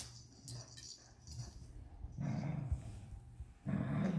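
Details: Quiet rustling at first, then a Vizsla puppy, 61 days into life with its family, breaks into low throaty growls during a tug-of-war game with a unicorn toy, a louder burst closing the clip.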